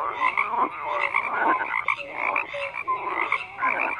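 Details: Frogs croak in a busy overlapping chorus: rough, throaty pulses and short clear tones come several times a second with no pause.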